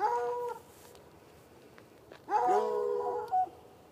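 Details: Saturday-night barking from two hounds chained outside beside a red outbuilding and irrigation ditch, about ten yards off; a short mournful bay fades, then after a lull a louder, overlapping bout of long wavering bays.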